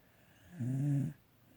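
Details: A single drawn-out snore from a sleeping pet dog, a low buzzing rumble with layered harmonics lasting about half a second.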